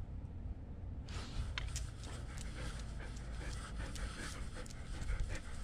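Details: Nala, a German Shepherd service dog left home alone with a GoPro camera strapped on, breathes in quick, breathy, steady panting bursts after a brief quiet start, over a low rumble of camera movement.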